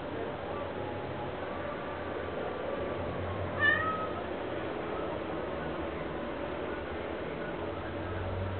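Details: Male chocolate Ocicat begging for a tummy rub, giving one short meow at about three and a half seconds, a brief bright harmonic call, over a steady low household hum.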